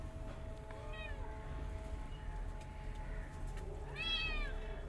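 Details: Mother cat with kittens; two meows, a softer one near one second and a louder, rising-falling one near four seconds, over a low steady hum.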